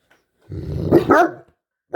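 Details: A Great Dane, one of two making hippo-like noises, gives a single rough, throaty grunting bark lasting about one second, rising into a brighter yelp at the end, indoors.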